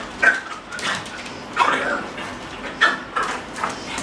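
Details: At a dog daycare during a trial visit, a male French Bulldog gives sharp yelping barks, about five separate cries spaced roughly a second apart, each bright and brief, with quiet room noise between them.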